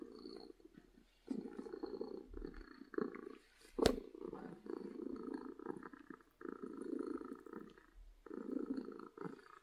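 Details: Domestic cat purring from happiness, steady rumbling purr in phases of one to two seconds separated by short pauses, with one sharp click near the middle.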